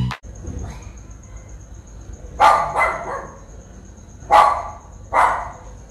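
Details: Japanese Spitz in Sri Lanka, filmed on a Nikon COOLPIX P1000, giving sharp, high barks: four barks in quick pairs, separated by about two seconds, over a steady high electronic whine.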